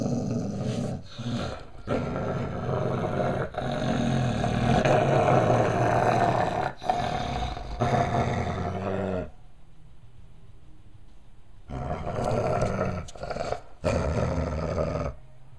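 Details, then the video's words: A dog grumbling while playing with two yellow tennis balls taped together; long rough, throaty growling rumbles in bursts with short breaks, then a quiet pause before the grumbling resumes. "Getting your grumble on"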